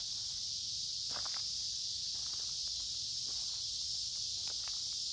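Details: Many noisy cicadas singing in midsummer woods along a creek on a warm, humid day: a dense, steady high buzzing drone without pause, with footsteps crunching at intervals while walking.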